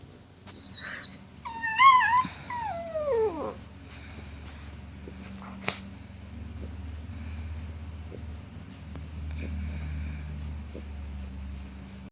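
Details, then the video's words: Jill, a puppy, making noises before going to sleep: a string of high, wavering whimpers and squeaky whines in the first few seconds, sliding downward, then only soft breathing and quiet room hum. "Jill making noises before going to sleep.."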